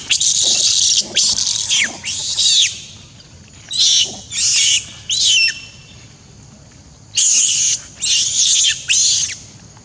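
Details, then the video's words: Little monkey Beving crying loudly and scared after a hard, painful bite from A Rey: shrill, high screams in groups of three, each about half a second, a pause, then two more groups of three. "Poor little Beving got strong bite hurt by A Rey so terrible/Beving crying loudly scare"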